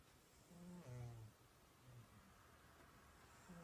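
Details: Cat snoring softly, one low rasping inhale-exhale snore with a rough harmonic buzz around the one-second mark, then faint quieter breathing.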